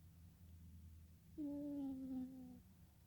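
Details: Dreaming kitten: a low, steady snore-like hum, then one soft, tonal mew lasting about a second that slides slightly downward before fading back into quiet breathing.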